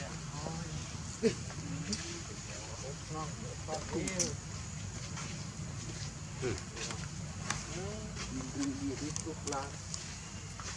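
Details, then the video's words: Baby monkey calling its mother for milk: a series of short, arched, tonal cries rising and falling, given in irregular bursts over steady hiss, with occasional clicks and rustling in the background. "Lovely baby monkey call mom to give him for milk"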